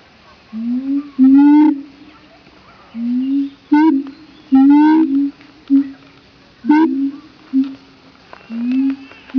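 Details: Captive siamangs in Opole Zoo, Poland, calling loudly, apparently just for conversation: repeated low rising whooping notes, with sharp, higher, rapidly climbing barks layered between them and brief gaps of quiet.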